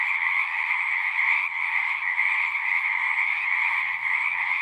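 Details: Pond frogs in a horse pasture singing together, a thick continuous mass of overlapping trilled calls holding steady from start to finish, level and unbroken, with no other distinct sounds.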